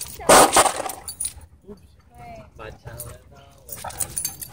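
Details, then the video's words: Dog at a dog park where play has turned into aggression: one loud, harsh bark bursts out right at the start, followed by human voices talking and faint background noise. "Stopping Play That Turned Into Aggression At Dog Park"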